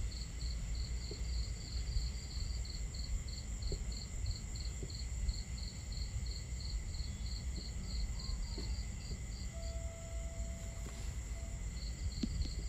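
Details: Crickets on a starry camping night keep up a fast, very regular series of thin high chirps, about two to three per second, fading near the end, while water and crackling fire fill the low background.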